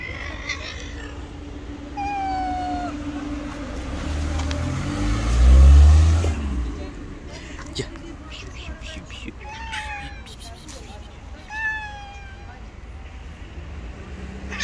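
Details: Two stray street cats, an angry white cat and a rival tabby, in a confrontation; drawn-out wavering yowls and howls rise and fall, with a loud low thump midway and street background noise.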